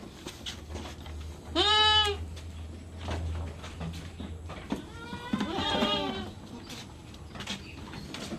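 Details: Goat kept as a farm animal, being given an iron injection, lets out two loud quavering bleats a few seconds apart, the second longer and shakier, over a low hum and scattered clicks of handling.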